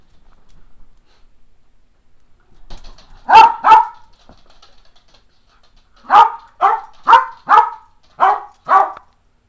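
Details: An 11-and-a-half-year-old Cairn Terrier gives sharp, high barks in quick pairs and runs, asking for playtime, while another Cairn Terrier is used to distract him.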